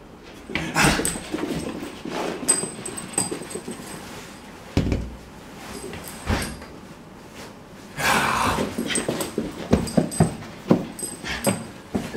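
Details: Whippet puppy being stirred up, giving bursts of rough, noisy growls and yelps in short clusters, with quiet gaps between and a busy, lively run of sharp sounds near the end.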